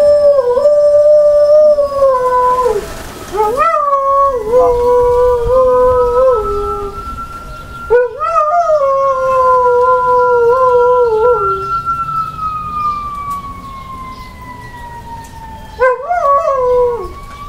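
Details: Pet dog Sasha, a female, joins in with fire truck sirens in a series of long, wavering howls, each starting with a rising yelp and ending in a falling quaver, while a siren glides slowly overhead.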